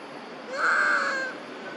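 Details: A mother monkey calls out for her lost infant with a single sustained, mournful tonal cry of under a second. The pitch stays fairly level, the tone is harmonic and slightly hoarse, and there is faint background hiss.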